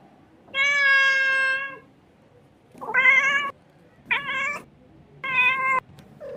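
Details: Kitten cries with four loud, pitched meows in just over six seconds, the first long and steady, the others shorter, one sliding upward at the start, against a faint low hum.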